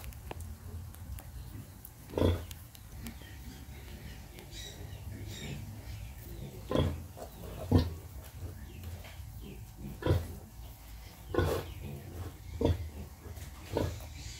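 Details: Pig nursing piglets, giving deep, low grunts spaced one to two seconds apart over a steady rumbling background.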